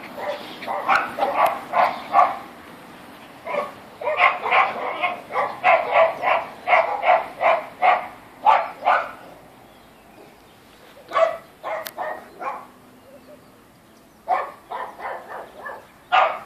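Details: iPod, a 14-week-old female Toy French Poodle, plays on a slide, her favourite activity, letting out quick bursts of high yapping barks, several per second in clustered runs with short pauses between volleys.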